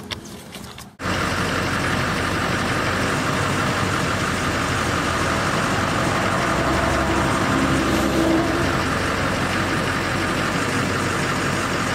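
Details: A loud idling engine starts after a second and runs steadily with broadband mechanical noise, and no animal voice is heard.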